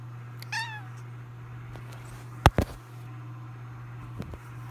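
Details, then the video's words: Jojo the house cat gives one brief descending meow, then sharp clicks and taps sound in the room over a steady background hum. "Jojo's meow ジョジョの鳴き声"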